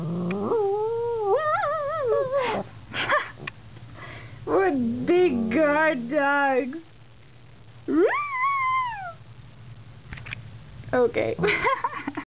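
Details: Guarding pet dogs outside their house facing puppies; the female, trained to yodel, uses it in mock-attack moods. Repeated wavering, yodel-like yowls with quivering pitch, interrupted by short gaps and a high rising-falling howl.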